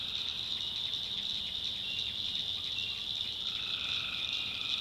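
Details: Tree frogs at night in a North Carolina swamp: a pulsing high-pitched chorus, then a sustained lower trill rises in from about three and a half seconds.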